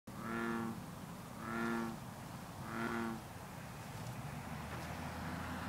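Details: A green (bronze) frog at misty water on a cool, humid night gives three deep, twangy, resonant notes about a second apart, then falls quiet, with bullfrogs and other green frogs calling in the background.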